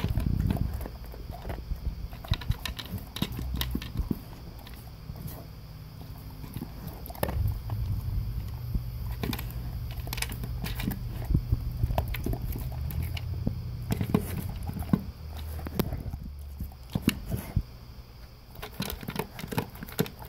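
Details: English cream golden retriever, male, chewing Taste of the Wild dry food at breakfast from a blue slow-feeder bowl meant to slow his eating; steady crackling crunches and clinks throughout, with a low humming drone in the middle.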